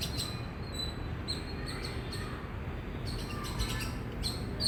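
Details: Indian squirrel giving loud, high, sharp chirps in a quick, steady series, with a short break near the middle and a brief faster burst toward the end, over a constant low background hum.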